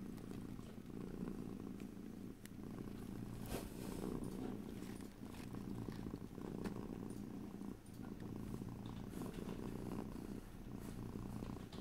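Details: A domestic cat's low, steady purr rising and falling in regular breathing cycles, with faint rustling touches, stereo recording free of speech.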